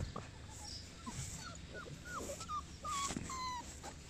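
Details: Boerboel dog whining: a run of short, high, thin whimpers, some rising and some falling, growing longer and clearer toward the end, over a steady background hiss.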